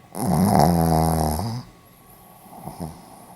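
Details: Pomeranian asleep, filmed 4 November 2015 in Hiroshima, letting out one long rasping snore of about a second and a half with a rich buzzy tone, then softer breathing and a faint snuffle.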